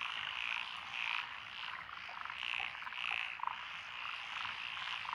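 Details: Many frogs calling together in lotus paddy fields in Echizen, Fukui, Japan, June 12, 2021, including Japanese tree frog, Tokyo daruma pond frog, wrinkled frog, Schlegel's green tree frog and forest green tree frog: steady croaking wall with louder rasping bursts about once a second.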